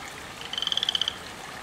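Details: One loud garden frog giving a single short, rapidly pulsed trill of about a dozen clicks, clear against quiet background.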